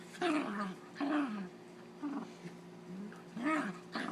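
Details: Holly the dog at play with Zeus, producing funny fighting noises: four or five arching, nasal growl-moans, each falling away at the end, spaced about a second apart.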